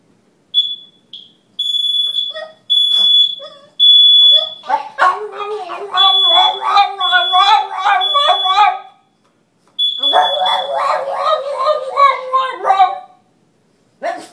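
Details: Buster, a Boston Terrier, "sings", howling in long, wavering, rising and falling tones alongside a beeping fire alarm being tested.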